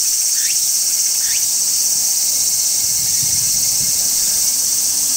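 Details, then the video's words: Large brown cicada singing in midsummer from a tree: a clean, constant high buzzing shrill, with two quick upward-sweeping chirps near the start and little else beneath. "Cicadas Singing in Midsummer | Large Brown Cicada"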